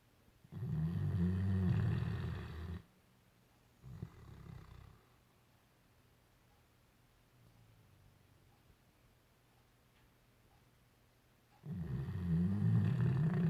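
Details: A dreaming Great Dane snores: a heavy low rumble, a short soft snort, a long near-silent stretch with faint breathing, then another loud rasping snore starts.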